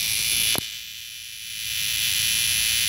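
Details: A single cicada calls loudly at close range: a dense, steady high-pitched buzz that dips briefly after a sharp click near the start, then swells back to full strength.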